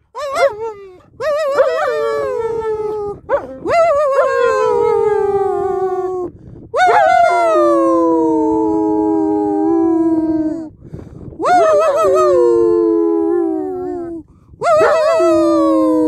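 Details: German Shepherd dog bursting into song: five long, loud, harmonic howls, each sliding downward from a sharp onset and holding a steady tone for two to four seconds, separated by brief breaths.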